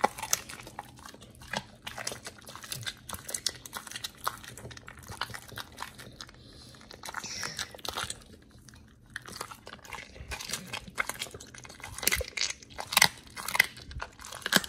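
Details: Dogs Oli and Nomy chewing raw food in a small room, raw-fed like a wolf; steady crunching bites and moist smacking, a brief quieter pause midway, then sharper louder crunches toward the end.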